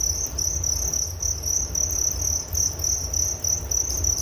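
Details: Cricket song in a calming nature recording: a shrill high trill broken into rapid pulses, roughly three per second, with faint low rumble beneath.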